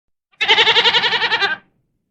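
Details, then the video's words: Domestic goat (Capra aegagrus hircus) giving a single bleat just over a second long, a nasal, trembling 'meh-eh-eh' with about a dozen rapid pulses, against silence. "The Sound A Goat Makes ~ Goat Sounds"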